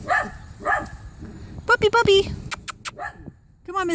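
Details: Five-week-old Rhodesian Ridgeback puppies, born August 6, 2016, playing outside in Maryland, USA. A burst of sharp, high, harmonic yips and short barks comes midway, mixed with a person's voice calling and praising the puppies.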